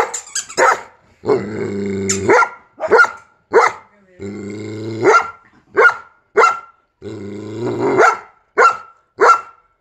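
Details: Reacting to a squeaky sound, a Giant Schnauzer mixes drawn-out rumbling growls with short sharp barks, about one bark every second between growls, while a thin high squeak sounds through.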